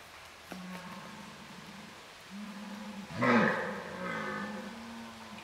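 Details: Red deer stags during the rut on a hunting preserve, with fights breaking out: a long low drawn-out roar, a short harsh louder burst midway, then a sustained groaning roar continuing to the end.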